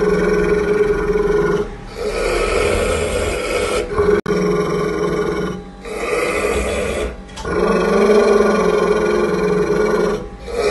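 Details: A pit bull growls angrily at its owner during feeding: sustained harsh, rumbling growls, each held for several seconds, broken by short gaps as the dog inhales.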